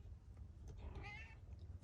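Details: Male tabby cat, wanting a lot of attention, meowing as his owner greets him indoors before being offered wet food; a single short, soft meow amid a low rumbling background.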